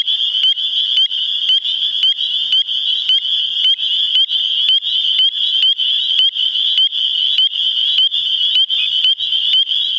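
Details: A spring chorus of spring peepers in New Hampshire calling to mate, shrill rising peeps stacked over a continuous high ringing wall of sound, with distinct sharp notes repeating about twice per second throughout.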